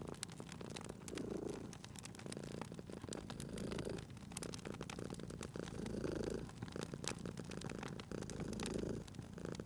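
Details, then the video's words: Sleeping domestic cat purring beside a crackling fireplace in a cozy spring setting; a low rumbling purr swells and fades in long breath cycles roughly every two seconds while sharp pops and snaps of burning wood sound throughout. "Cute Purring Cat at a Crackling Fireplace"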